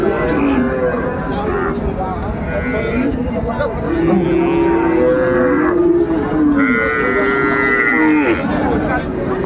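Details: Cows and calves at Ambari cattle market in Dinajpur, Bangladesh, on 31 January 2025: several overlapping drawn-out moos and low bellows rise and fall among loud crowd chatter and haggling voices.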